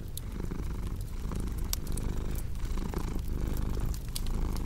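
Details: Cat purring softly near a crackling fireplace for deep sleep and stress relief. A rich low drone beating in slow, even pulses, punctuated by a few loud isolated crackles from the flames.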